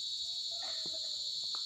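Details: At about 6:30 pm, still light but chilly, a chorus of crickets gives an unbroken, shrill, even-pitched trill, with faint low murmurs, possibly distant people playing basketball, beneath; cricket.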